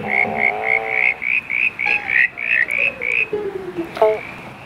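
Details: Night chorus at a backyard pond on 3 September 2016, with at least 30 southern brown tree frogs present. About ten quick, high, slightly rising whistled pulses repeat steadily. Gliding lower tones and faint music run underneath.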